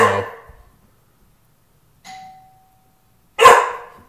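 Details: Dog named Tukoma, protective of the house, gives a short loud bark, then a single ringing doorbell ding follows, and a second strong bark closes the moment.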